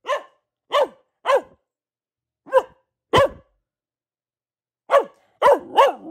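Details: Female pet Boxer dog barking at home: about eight sharp, mid-pitched barks, spaced irregularly, with a long pause before a quicker closing burst; no other sounds.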